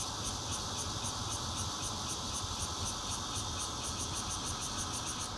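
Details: In Zhongli, Taiwan, on 16 June 2013, a bear cicada buzzes steadily, recorded from a fourth-floor home using a Nokia Lumia 820; a harsh drone with clearly spaced high pulses several times a second, plus low background rumble.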